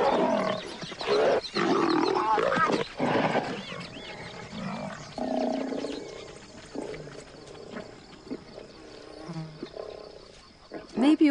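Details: Wild pride of lions fighting, a younger lioness hostile to an outcast lioness; loud ragged snarls in the first three seconds give way to quieter broken growls and grunts, then a sharp snarl at the close.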